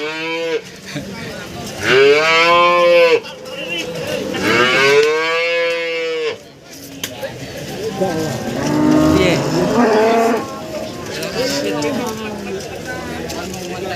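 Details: Cattle at the Warujayeng livestock market, Nganjuk, Indonesia, among breeding cows and cows with calves. Two strong, arching moos open the recording, then softer lowing is mixed into loud crowd and market noise.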